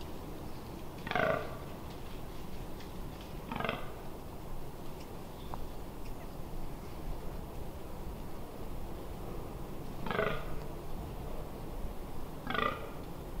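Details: Fallow deer in rut, Amsterdamse Waterleiding Duinen dunes, 18 October 2021: four rough, belching grunts, widely spaced with long quiet gaps, over a steady low rumble of background noise.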